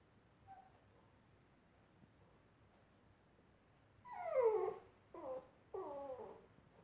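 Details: Labrador Retriever puppy with hiccups indoors: after about four seconds of near silence, three short squeaky hiccup-like yelps with falling pitch come in quick succession, the first loudest.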